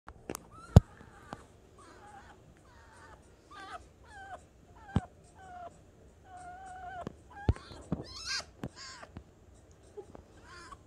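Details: Ari, a pet fennec fox, indoors, frustrated at a vacuum cleaner being run: a run of high whining, warbling squeals and short yelps, each lasting under a second, with a low steady hum beneath and sharp clicks.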